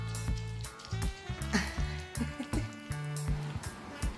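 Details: Music with steady sustained tones and regular percussive beats plays throughout, with no animal voice heard.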